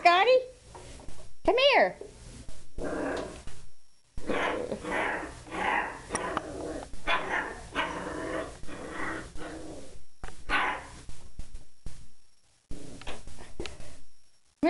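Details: Scotty, a puppy called into the kitchen where a plunger he hates waits, gives a run of short rough barks and growls, bursts coming roughly every second, with a woman's voice repeatedly calling him over the noise.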